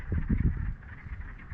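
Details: Distant wood frogs (Lithobates sylvaticus) give low, duck-like cackling, clucking calls in a quick, uneven chorus, heard from a floating boardwalk at Camden Lake Provincial Wildlife Area on an April early afternoon, about 10°C, with some wind or handling rumble.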